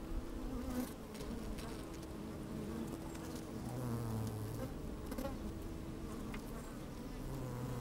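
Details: Honey bees working inside an open hive on a fine sunny day, microphone slid down among them: a dense low drone with wavering hums rising and falling, brief louder buzzes near four seconds, faint crackles from bees moving about.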